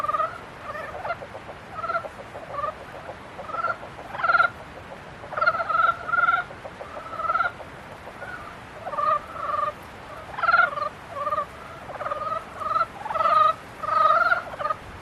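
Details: Several frogs in mating season croak back and forth: short, twangy, harmonic notes in irregular bursts, growing denser and louder toward the end.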